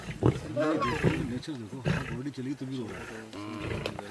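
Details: Lions feeding on a wild boar, whether still alive or not: deep, rough growls and snarls overlap in quick pulsed bursts, with harsh low rumbles rising and falling through a short, busy feeding scuffle.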